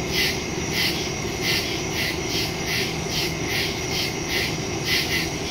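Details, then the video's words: Crickets chirping in the woods at night, recorded September 2, 2023 on a phone with a stereo microphone: overlapping high, pulsed chirps repeating about twice a second over a steady shrill hum and low background rumble. "Crickets in the woods at night"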